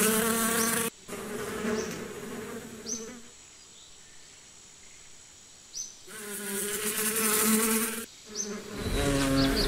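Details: Bee buzzing heard as a low droning hum at the start and end, with a quieter middle stretch of faint background and a few short high chirps.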